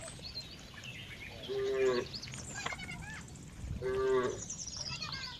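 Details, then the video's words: Cow giving two quiet, brief moos about two seconds apart, each a narrow steady tone with faint harmonics, set against a noisy background with chirping birds and rustling. "cow funny sound"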